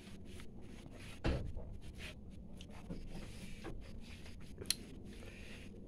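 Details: Knocks, wooden clatter and low rumbling in a small indoor space, with no animal calls.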